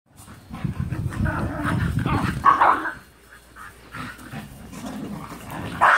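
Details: Two dog sisters, an older Husky and a younger Japanese Spitz/Pomeranian mix, at rough play indoors: deep rumbling growls run through most of the clip, with a few sharper yelping barks on top and a brief quiet pause midway.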